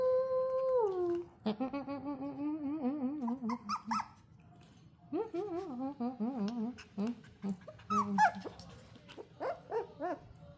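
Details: Corgi-Poodle mix puppy giving a drawn-out whining howl: long harmonic tones that slide down, then wavering, rising and falling whimpers, broken into short yelps toward the end.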